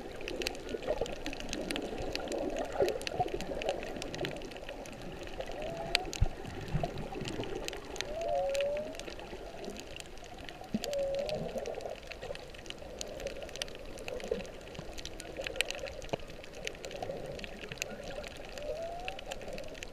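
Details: Whales sing underwater off Kihei, Maui, in late whale season (March 15, 2016), with soft, wavering moans and short upswept whistles over a steady hiss of water; possibly birthing, and dolphins also heard.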